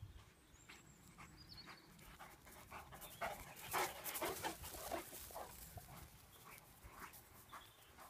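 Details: Irish Wolfhounds Tara, a brindle, and Finn, a wheaten brindle, out on a morning run, with rhythmic breathy panting about twice a second, bursts of louder breaths midway, and faint bird chirps outdoors.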